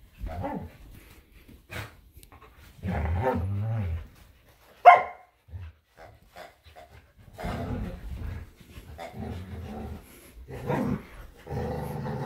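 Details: Samoyed Luma and Keeshond Zuko tussle over a squeaky hedgehog toy in a yard. Harsh, harmonic barks and growly bursts come in clusters, separated by short quiet gaps.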